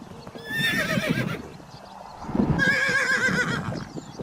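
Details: Horses from a herd neighing: two loud whinnies, each about a second long, with shaky, wavering pitch that trails off, separated by a short pause, with faint hoof clatter underneath.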